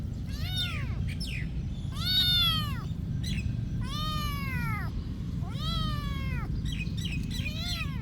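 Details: Repeated cat meows at a monastery, long rising-then-falling wails with strong harmonics, four or five in eight seconds, some short chirpy calls between them, low constant background hum.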